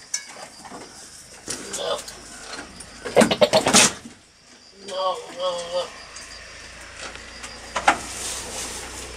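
A billy goat gives a burst of harsh sputtering noises, then a quavering, wobbling bleat aimed at females.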